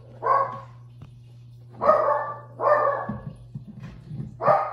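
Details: Shih Tzu dog barking while playing and doing tricks indoors: four sharp, harmonic barks spaced about a second apart, the last a double bark, over a steady low electrical hum.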